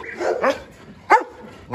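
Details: Dobermann at a large kennel: a low whine, then three sharp, short yelping barks spaced roughly every half second, the last two loud.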